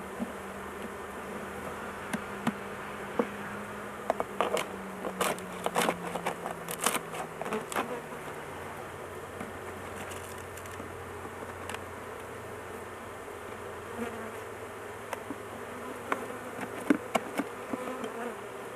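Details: Honey bee colony humming steadily during work on a big hive while the queen sits caged so she is not crushed; frequent sharp clicks and rattles of handling cluster in the first half, with a faint low hum beneath.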